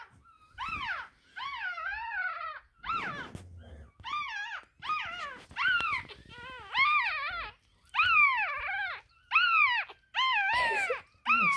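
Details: One-week-old Russian Toy puppy, Poppy, beside her mother Feather, giving high, whining squeals. Each cry arches up and then falls, about ten in a row with short gaps, a few sliding downward at the end; quiet background.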